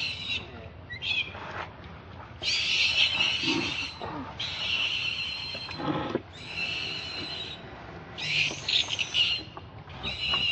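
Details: Baby monkey crying to its mother for milk: long, harsh, high-pitched wails repeated in broken bursts, some stretching over a second, with brief quieter pauses and soft background noise.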